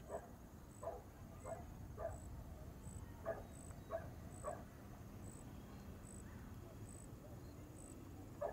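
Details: Outdoor dog gives a run of distant, evenly spaced barks roughly every half second to second. A high, short pulsing chirp repeats steadily throughout, with a low rumble beneath.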